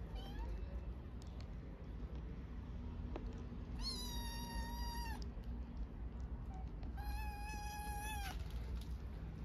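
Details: Hungry orphaned stray kittens on the streets of Istanbul begging for food: two long, loud, high meows, each held steady for about a second with a slight droop at the end, over a constant low outdoor rumble.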